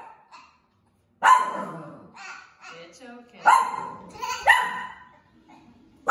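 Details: A bottle-fed baby goat raised with six dogs, said to think he is a dog, argues with his Maltese companion, giving short, harsh, dog-like barks in a few loud bursts, with voices in between.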